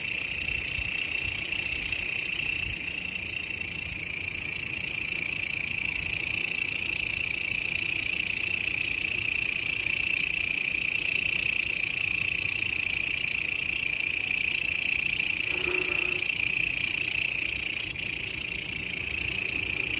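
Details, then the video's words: Grasshopper used as a master voice for songbird training: a constant high, sizzling drone with no breaks, plus one short low sound about three-quarters of the way through. "SUARA BELALANG,MASTERAN BURUNG YANG SERING DI CARI-CARI OLEH KICAU MANIA"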